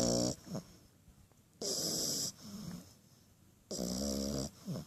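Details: French Bulldog puppy snoring in its sleep: harsh, snorting rattles with a hissing high edge, each about half a second to one second long, coming roughly every two seconds, separated by short softer breaths and quiet pauses.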